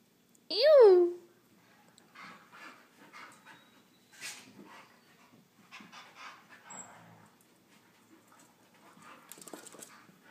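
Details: Young Husky, Chihuahua and Lab mix pup during wrestling play gives a sharp, loud, falling yelp at the start, then a run of soft breathy huffs and panting bursts with scuffling.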